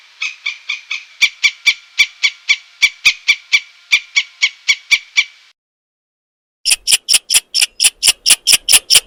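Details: Rapid squirrel chatter of sharp, clicking notes about three per second, stopping for a moment of silence, then resuming louder and higher in a second burst.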